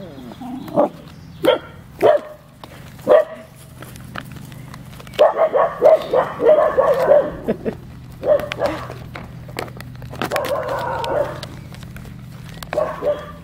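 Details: Eight-week-old Kooikerhondje puppies of the G litter give a series of short barks and yaps, some single and well spaced, others bunched into quick bursts, over a steady low hum and faint clicking.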